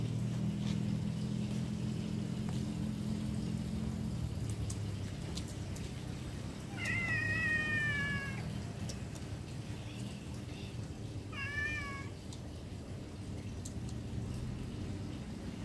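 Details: Cat giving two drawn-out meows, the first long and gently falling, the second shorter and wavering, separated by a few seconds, over a constant low hum with faint clicks.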